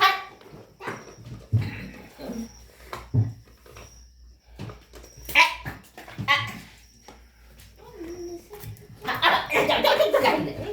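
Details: Puppies playing happily with their family inside a room at home, giving short, sharp barks and yaps scattered irregularly through the stretch, with a louder burst near the end, over steady people talking close by.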